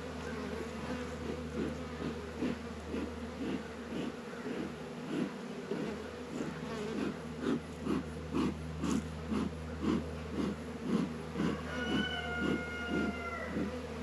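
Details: Warm 72°F winter afternoon in February at a northern Kentucky apiary: honey bees active at Langstroth and Warre hives, their low drone swelling and fading in regular pulses about twice a second, with a brief harmonic squeal near the end.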